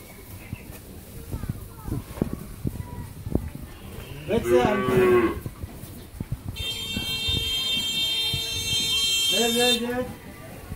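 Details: Heavily pregnant Friesian cow at a dairy farm in Pabna, Bangladesh, first calving due within a week; two short lowing moos separated by a few seconds, with a steady high electronic tone and people talking in between.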